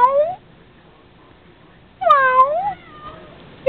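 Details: Pet male cat meowing to his owner before turning camera shy and hiding: a short bright meow at the start, then a longer wavering meow that rises and falls, and a clipped third at the end, in a quiet room.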